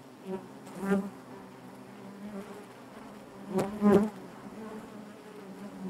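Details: Honey bees buzzing in the hive, a constant low harmonic hum punctuated by two louder bursts, one early and a double surge later, probably bees passing close.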